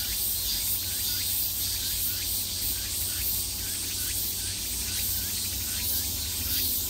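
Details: At the height of summer, cicadas heard from all around fill the air with a dense, steady, high-pitched buzzing drone.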